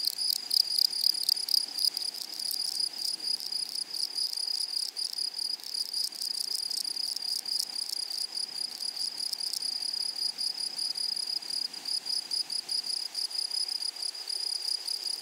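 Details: Grasshoppers in a flowery meadow chorus with a steady high ringing tone and an upper overtone, overlaid by fast rough pulses, loudest in the first two seconds and then softer, about four per second, against a faint background hum.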